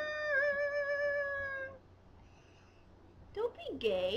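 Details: Scottish terrier Duff, goaded into singing, holds a sustained harmonic howl with a slight wavering pitch, then falls silent before a brief burst of human voice at the end.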